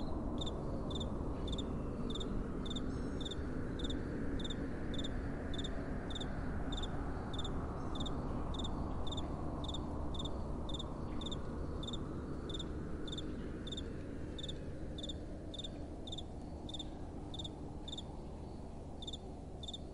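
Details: Crickets calling at night in soft wind: high, short chirps in quick pulsed bursts, roughly four per second, ringing steadily over a constant low rush of gentle wind.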